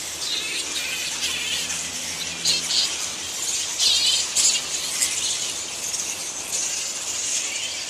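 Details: Roosting colony of flying foxes (giant fruit bats) at Lansvale, Sydney, giving constant high-pitched chattering and squabbling squeaks, with brief sharper shrieks bursting out around the middle of the recording.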